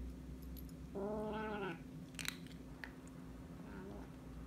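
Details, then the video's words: Princess Peach, an orange kitten, growls at her brother Gandalf the Grey while she eats, defending her food; a drawn-out harmonic growl near the start, then quieter clicks and faint sounds. "Princess Peach the kitten growls at her brother while she eats"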